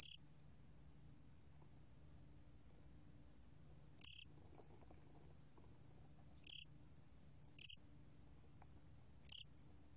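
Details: Korean 곰귀뚜라미 cricket, recorded for the National Institute of Biological Resources in 2020: five short, high pulsed chirps spaced irregularly over ten seconds, each a brief trill of rapid pulses, over a quiet low background hum.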